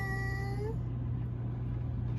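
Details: Cat trying to avoid the air conditioning draft gives one short meow with a flat tone that rises at the end, over a steady low hum.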